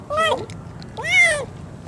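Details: A hungry, injured lame cat cries near a door: two drawn-out, nasal meows, the second longer and louder, rising then falling in pitch.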